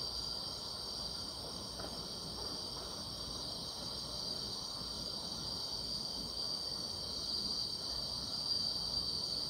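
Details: Grass insects calling through a summer night, their dense high-pitched trilling forming one constant ringing tone, gently swelling near the end, with low ambient noise.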